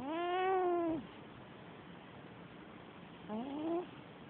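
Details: Liddy, a pet cat, snoring while asleep and probably dreaming: a drawn-out, nasal, whining tone lasting about a second that falls at its end, then a shorter, rising tonal snore after a quiet pause.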